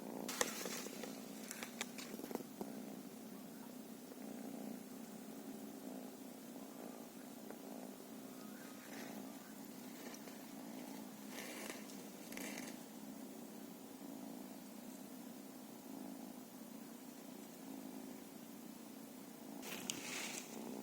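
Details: Continuous low purring from a feral cat, a smooth rhythmic drone that keeps going throughout, broken now and then by brief rustling and scratchy handling noises near the start, middle and end.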